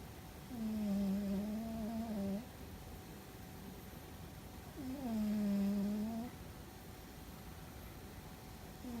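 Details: Fuzzy, a pet cat, snores loudly: two long, droning, tonal breaths about four seconds apart, each steady and slightly humming, with quiet room hiss between them.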